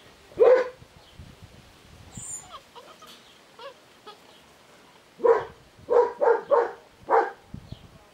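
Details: Puppies born 20 March 2017 in a quiet room. One sharp yappy bark opens, a few faint squeaks follow, then a quick burst of five high barks spaced about half a second apart.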